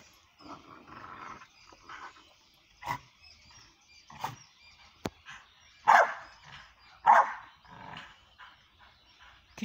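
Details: Pit bull being trained as a fighter for the ring, giving short, separate barks and yelps at irregular intervals, louder sharp bursts near the end, in a quiet setting with faint background noise.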